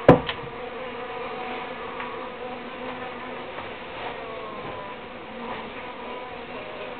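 Uruçu stingless bees hum steadily, a layered droning buzz with a brief knock at the start.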